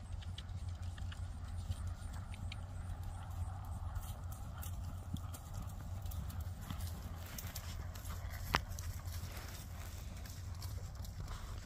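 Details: Hoofbeats of a Friesian mare being ridden: irregular soft clip-clop knocks, clearer in the second half, with one sharp louder click near the end, all over a constant heavy low rumble.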